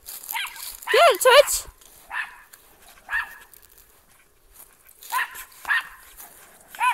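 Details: Domestic dog barking outdoors at a trash bag it mistook for an intruder: a loud double bark at the start, then scattered sharp barks in irregular bursts, with a human voice mixed in.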